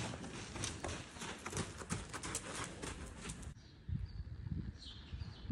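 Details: Two-year-old buckskin Quarter Horse filly being lunged; rhythmic hoofbeats thud over a loud broadband rushing noise that cuts off at about three and a half seconds, leaving quieter ground sounds and a faint high chirp.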